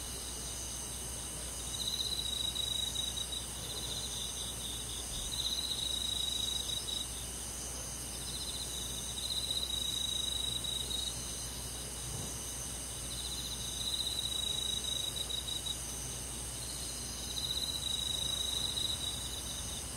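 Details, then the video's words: Crickets and other grass insects on a summer night in the countryside. A steady, high-pitched shimmering chorus runs throughout, with brighter pulsed trills rising over it roughly every four seconds. No other clear sounds. "잠이 잘오는 여름밤 잔잔한 풀벌레소리"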